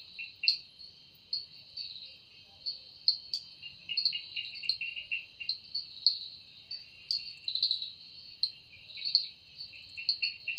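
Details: Cicada heard in a forest in the evening, the sound said to come from its wings: a shrill, steady buzzing band with sharp rhythmic pulses roughly every half second.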